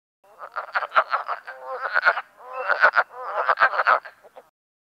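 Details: Wood frog males in a vernal breeding pool call out their territory in a busy chorus of hoarse, clucking calls much like a duck's quack, overlapping one another.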